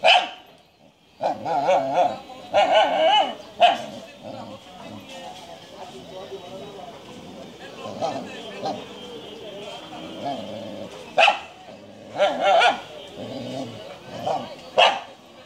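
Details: Japanese Shiba Inu dog giving sharp single barks scattered through the recording, a burst near the start and a cluster late on, with people talking steadily in between.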